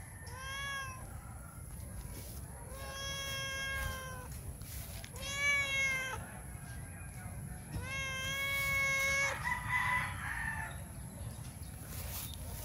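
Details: A male stray cat that comes to a back gate every morning asking for food, meowing hard for attention. Four loud, drawn-out harmonic meows, each slightly falling at the end, come about every two and a half seconds, followed by rustling noise.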